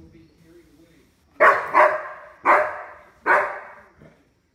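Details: A puppy barking during play: a low murmur, then four loud, harsh barks, the first two close together and two more about a second apart, ending with a faint short yap.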